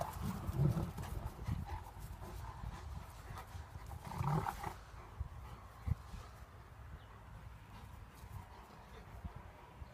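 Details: Two dogs, a German Shepherd and a Golden Retriever, play fighting; low rumbling growls in short bursts near the start and again around the four-second mark, then quieter scuffling and background rumble.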